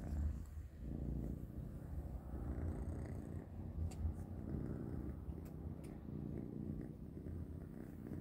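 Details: Kittens named Panda, Grayie and Goldie have their kibble dinner. A deep, continuous purr holds an even drone, with occasional crisp crunches of dry food breaking through.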